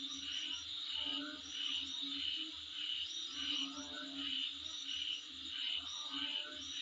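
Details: Insect chorus outside a home, with short whistled notes repeating about every two-thirds of a second over a continuous shrill buzzing band and a faint low pulsing underneath.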